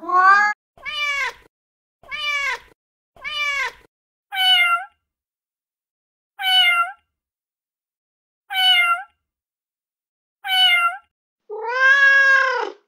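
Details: Male cat in heat calling for a mate with a run of separate meows that shift in pitch. Several short, rising-falling cries come first, followed by spaced higher meows, and the series ends in one longer, louder wail.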